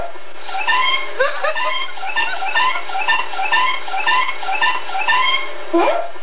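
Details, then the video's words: Ozzy the Kitty, a pet cat, recorded September 27, 2013, 'saying' something like "Good Day?": a quick run of about eight short, rich, rising-then-falling meows strung together almost like chatter, indoors, with no other clear sounds. "Ozzy the Kitty says: "Good Day?""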